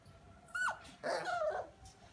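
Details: Havanese, a small non-shedding toy breed dog, giving two short high whining yelps with harmonic, falling tones, the second longer and rougher; quiet background otherwise.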